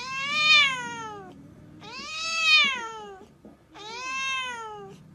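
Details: Cat indoors giving three long, loud meows about two seconds apart, each an arching, richly harmonic wail that rises then falls away, with faint room noise between.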